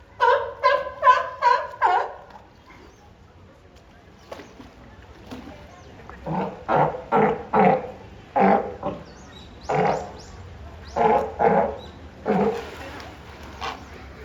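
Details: Two California sea lions at Higashiyama Zoo, Japan, 10 April 2024, compete in a calling match rather than fighting, trading loud, hoarse barks in rapid bursts, one answering the other.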